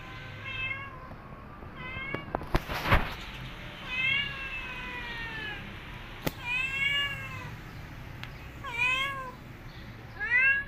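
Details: Cat returning to her kittens after two days away and nursing them; repeated high arched meows with rich harmonics, some rising then falling, spaced a second or two apart, with a few sharp knocks and low rumbling background.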